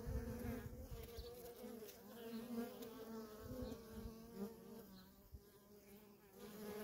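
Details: Softer, steady hum of honey bee workers in ceaseless traffic at a wild feral colony, a low drone with a faint overtone and gentle low rumbling underneath.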